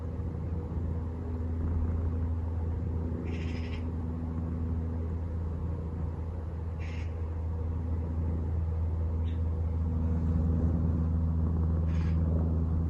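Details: Napping domestic cat, with an aeroplane passing overhead: a continuous deep, humming purr with steady low tones, broken by a few brief higher rustling bursts.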